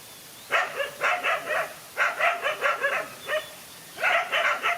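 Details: A fight between dogs, a lone dog against two males: four bursts of rapid, evenly spaced barks, with a single thinner yelp between the third and fourth burst.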